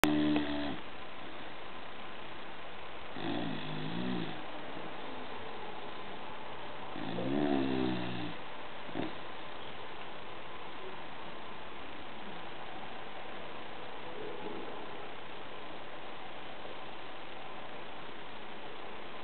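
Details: Bulldog named Gordo asleep indoors, giving low, rasping snores in harmonic bursts roughly every three to four seconds, each lasting about a second, with quiet breathing between and a faint final snore near the end.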